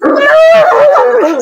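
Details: Bully Kutta in a Pakistani fight match, letting out one sustained whining howl that wavers slightly in pitch and falls at the end, lasting over a second.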